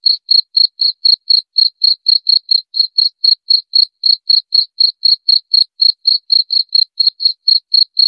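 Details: Long run of cricket chirps, uniform sharp high notes repeated about four times a second without variation; silent background.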